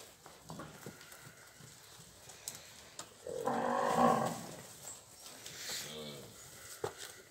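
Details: Nelore cows from a herd of recently calved and pregnant cows in the Ribeirão Preto region, São Paulo, Brazil: one drawn-out, mid-pitched harmonic moo of about a second, then a softer wavering call, with scattered knocks and clatter around it.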